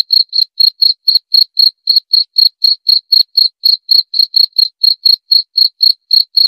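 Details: Steady cricket call of clean, high-pitched chirps, roughly four per second, evenly spaced and unbroken throughout, in a quiet setting with no background noise.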